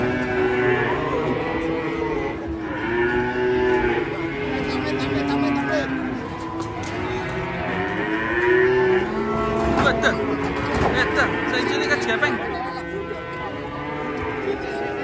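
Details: Several cattle mooing in long, wavering, overlapping calls during unloading from a truck, with music playing underneath and occasional clatter and voices.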